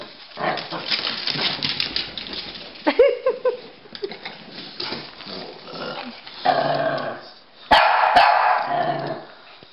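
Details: Pekingese and Bulldog at play in a chase game: scuffling and mixed noise, a brief human voice, then a burst of loud barks near the end.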